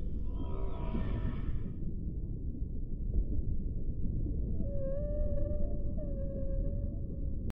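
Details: Whale. Whale song begins with a bright, harmonic, wavering cry lasting under two seconds. After a short pause come clear, sustained moans with a gentle upward bend, over a constant low rumble of water noise.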